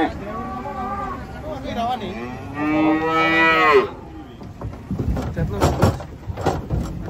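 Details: Cattle unloading from a truck, with a calf nearby said to be looking for its mother: a loud, drawn-out harmonic moo rising and falling over about a second, after lower lowing; bangs and voices follow.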